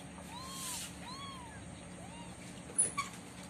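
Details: Kittens with their mother cat during the day, giving three soft, thin mews that rise and fall, each under half a second long, over a low steady hum, followed by a couple of faint clicks.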